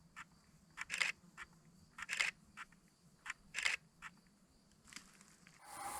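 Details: Roe deer barking in Burgundy in mid-July: harsh, hoarse single barks spaced a second or more apart, from a pair of roe deer, a buck and doe, that entered a field silently.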